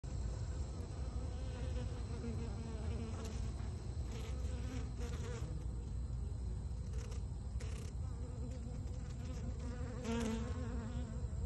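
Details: Honey bee drone being hauled out of the hive by worker bees, with a dense, steady low hum of many bees throughout and a few faint higher buzzing swells.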